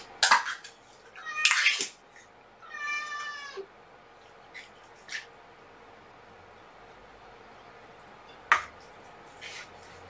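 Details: Kitten from rescue cat Seraphina's four-kitten litter at Purrfect Pals meowing at lunchtime as it gets used to being handled: one short harmonic meow between loud handling bumps and rustles, then a scattering of soft clicks.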